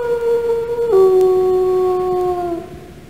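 A single wolf howl, a steady mid-pitched tone that steps down abruptly about a second in, then slowly slides lower for almost two more seconds before fading.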